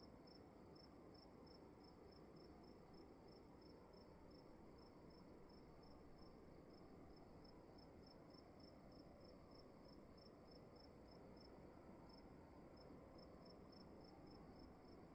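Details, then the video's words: Cricket heard inside a room, giving rapid, evenly spaced high chirps in a long unbroken run, with a brief gap near the end, against a steady broadband hiss and low hum. "Sound of emptiness and crickets in the room"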